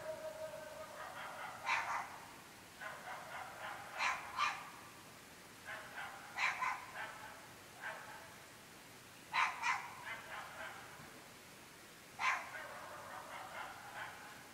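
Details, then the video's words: Persistent barking by dogs at 11.30 pm in a remote rural UK area, a nightly disturbance: barks come in uneven clusters of two to four, harsh and echoing, about every two seconds across the whole stretch, distant against quiet night. "Incessantly barking dogs"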